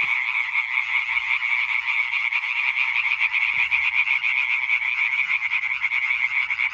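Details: Chorus of European treefrogs, a croaking concert dated 20.05.2023; many frogs call at once in fast, harsh, repeated pulses that merge into an unbroken throbbing drone throughout, a faint low thump near the middle.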